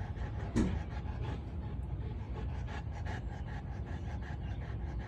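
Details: Big Boerboel female Kirmit Olivia breathing in fast, even pants, a breathy low rasp repeated at a steady pace, with one brief sharp knock near the start.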